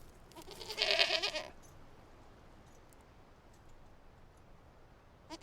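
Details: Outdoor goat bleat: one strong, quavering, harmonic cry lasting about a second near the start, followed by quiet background hiss and a faint onset of another sound at the end.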